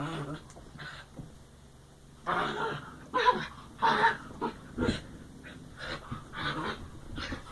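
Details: Dogs playing and producing strange wookie-like noises: a run of short grumbling, rasping growls and whines roughly once a second, with faint background voices.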